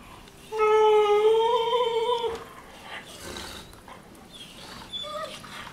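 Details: Two Weimaraner sisters, Jila and Faith, play-fighting on their bed one morning in Cyprus: a loud, drawn-out tonal whine holds steady for about two seconds with a slight upward lift, followed by quieter, brief whimpers and rustling.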